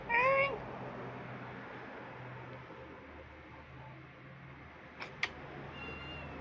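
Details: Domestic cat household: the father cat came home late and the mother cat is angry because the kitten wants to play with him. One short, clear, bright meow at the start, then steady low hum and two faint knocks.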